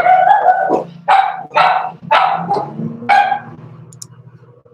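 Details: Young Cavalier King Charles Spaniels at play in a home-raised puppy pen: a loud run of five sharp barks about every half second over a steady low hum.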